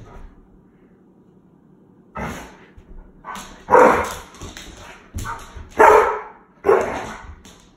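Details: An 8-year-old Alaskan Malamute in Saskatchewan, Canada, playing with a small piece of rawhide, lets out about four short throaty woo-like moans and yips. They are spaced one to two seconds apart, with quiet rustling and tapping between them.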